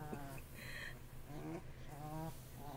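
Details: Fussy Bullmastiff puppy, 2.5 weeks old, from an AKC champion-sired litter; a few short, nasal whining calls with a steady held tone, separated by brief pauses, over a low background hum.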